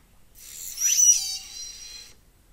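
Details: In the northeastern Pacific, a killer whale gives the S2 type 3 call of the L12 matriline, a bright, harmonic call that sweeps upward and ends in a high, steady squeal.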